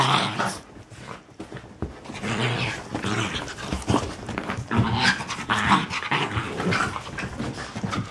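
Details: Young pups in a play bout make continuous grumbling growls and snorts, blended with rustling and scrabbling from their scuffle.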